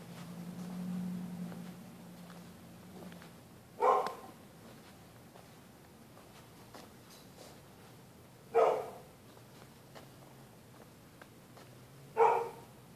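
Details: A neighbor's dog at night, barking at people using the public sidewalk on either side of the street; three single, sharp barks spaced roughly four seconds apart, with a low hum and quiet between them.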